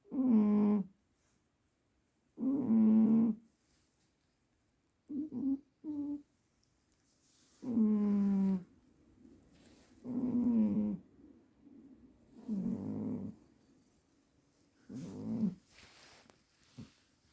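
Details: Pet cat Juniper sound asleep, snoring in uneven buzzy bursts, some long and droning, some short and choppy, roughly every two seconds, with faint soft noises between them.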